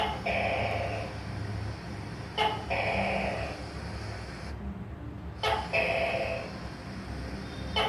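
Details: Leopard gecko calling indoors: each call opens with a sharp click followed by a drawn-out, harsh, nasal tone. Three calls come roughly three seconds apart over a steady low hum.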